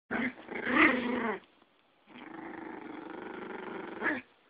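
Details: A Yorkie and a Pomeranian fighting indoors: two bursts of rough, throaty growling with layered harmonics, the first louder and more ragged, the second a steadier rumble ending in a sharp snarl.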